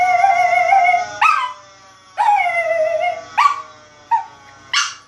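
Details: A male Chihuahua howls at a fire engine siren in long, wavering tones broken by short rising yelps.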